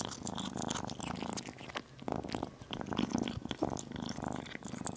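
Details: Small kitten purring while it eats chicken. The throbbing, buzzy rumble rises and falls in short stretches, broken by brief pauses and crisp chewing ticks close to the microphone.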